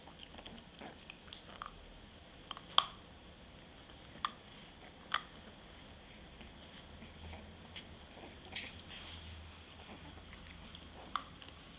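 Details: White Frenchie puppy Lily chows down hard on a favourite treat, snuffling like a piglet. Soft smacking and munching run throughout, broken by a few loud crunches around the middle and near the end, with a faint room hum beneath.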